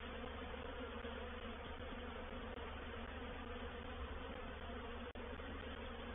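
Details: Honey bees of a reproductive swarm entering a bait hive at Painted Peacock Manor on 04/07/21, heard as a thick continuous drone of countless wings, even in loudness, with one brief click near the end.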